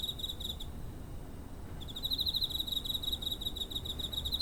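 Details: A cricket, recorded near a home on 7 September 2023, chirps with a steady, high, pulsing trill that stops briefly and then resumes.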